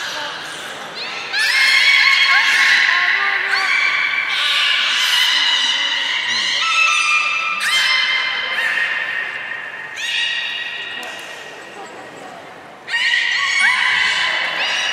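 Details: Beluga whales in an aquarium pool at Port of Nagoya Public Aquarium, 3 February 2019, during feeding and afterward play. Repeated bursts of layered, buzzy-tonal calls with upward slides rise and fall, with a lull before a loud final burst.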